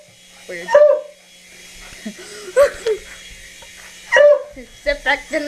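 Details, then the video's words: Pet dog barking at a helicopter: three high, sharp, ringing barks spaced over about five seconds, with a man's voice talking between them indoors. "Dog Barks 4 Helicopter"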